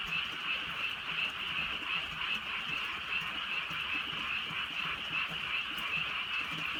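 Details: Countryside frogs croaking on a drizzly night. A thick chorus of rapid trilled calls pulses slightly, with several louder nearby croaks standing out against the dense background and the patter of rain.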